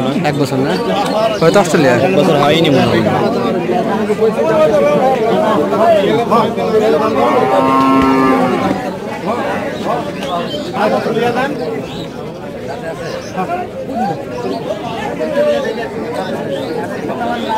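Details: Improved-breed dairy heifer calves at a livestock market, recorded 30 September 2018: one drawn-out, low, harmonic moo rises out of the din midway, while men bargain and chatter in Bengali throughout amid steady crowd noise.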